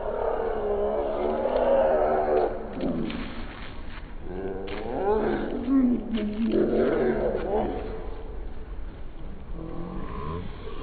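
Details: Angry cats squaring off in a fight: long, wavering yowls rise and fall in pitch, swelling and fading over several seconds, with growling undertones and a muffled, dull sound quality throughout.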